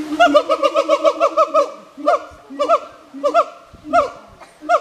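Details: Two siamangs, Kiwi and Kanna, calling to each other at Hirakawa Zoo in Kagoshima, Japan: rapid series of loud, rising hooting barks with rich harmonics, accelerating into a run of about a dozen notes, then spaced pairs of upswept whoops.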